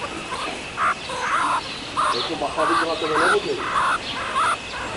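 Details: Meerkat family at ZOO Liberec, where triplets born on 24 January first go outside into chilly air while the parents keep them warm: brief, slightly nasal calls in an uneven string, several per second at times, over steady low hiss.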